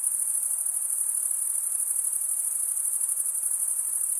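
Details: Male crickets stridulate, running one wing along the serrated vein of the other. The result is a shrill, continuous, finely pulsing trill at a steady level, with no breaks and no background sounds.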